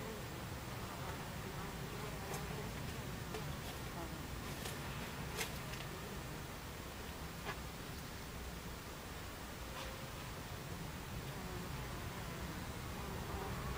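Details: Many Buckfast bees hum at their hive entrance on a July 2013 afternoon, the continuous low drone broken by a few sharp clicks and brief higher buzzes of passing flyers.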